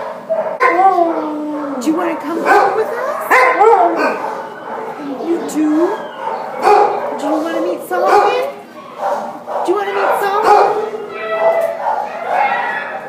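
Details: Border Collie Husky mix at the pound in December 2014, giving a dense run of wavering whines and yelping wails, rising and falling, packed closely together with some sharp clatter.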